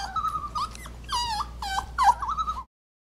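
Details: Kiwi, a female Alaskan Klee Kai, frustrated while trying to make sense of odd sounds coming from a computer: a quick string of wavering, whiny yips and yodel-like moans, rising and dipping, for under three seconds before falling silent.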